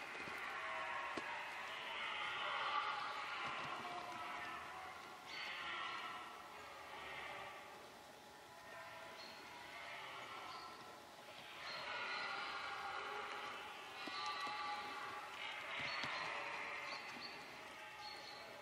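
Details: Red deer roaring during the rut, filmed up close while stalking on foot: a run of long, hoarse, drawn-out bellows rising and fading in waves, several in succession separated by short quieter pauses.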